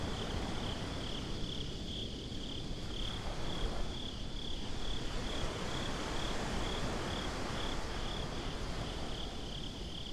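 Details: Crickets at night on a beach, recorded binaurally: a steady high pulsing trill runs throughout over loud low rumbling surf and wind noise.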